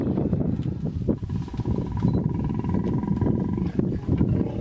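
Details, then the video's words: Hippopotamus stand-off in the Vurhami River, Kruger National Park, South Africa, a female in defense mode guarding her young against an approaching hippo; continuous deep, rough pulsed roaring grunts throughout, with a faint steady tone in the middle. "Epic Stand-off... 2 Hippos Kruger National Park. SOUND ON!!!"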